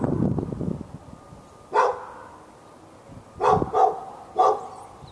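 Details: Barking dog in Raleigh, North Carolina, on February 15, 2012, going at the dog next door nonstop; a low rumble opens, then one bark and a quick trio of barks follow, with faint bird calls.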